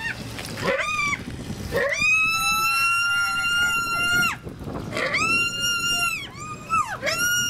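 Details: Miniature pigs at Kobe Animal Kingdom, Hyogo, Japan, recorded on 8 May 2019: loud, high, strongly harmonic squeals, two long drawn-out cries of about two and a half seconds each, framed by shorter squeals that bend downward.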